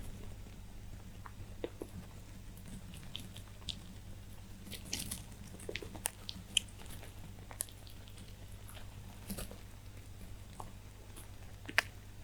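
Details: Little rabbits chew hay with soft, irregular crunching clicks against a low indoor hum.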